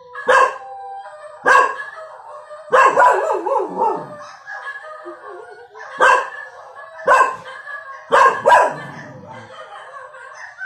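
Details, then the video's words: One-year-old cockapoo named Cookie barking indoors at dogs on the TV; sharp single barks repeated every second or so, some followed by short whining or growling tails. "Cockapoo puppy barking at dogs on the tv!"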